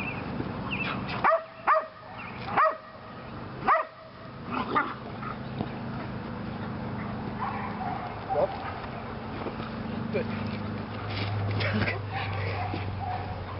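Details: Female Belgian Malinois Lily during PSA leg-sleeve bite training: four loud barks early on, then fainter yelps and scuffling over a low hum and murmuring voices.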